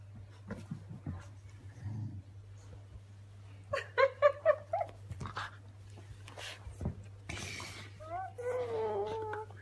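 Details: Bea's Dandie Dinmont terrier puppies, eleven weeks old, squabble over a sock indoors: short harmonic yelping whines in a quick burst, then higher squeaky whimpers, with people talking in between and a steady low hum.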